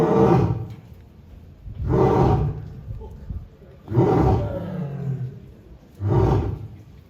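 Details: Polar bear in captivity at Asahiyama Zoo, Japan, on 4 June 2023, giving four loud, rough, low roars about two seconds apart, each a broad burst that fades into a quieter, rumbling pause.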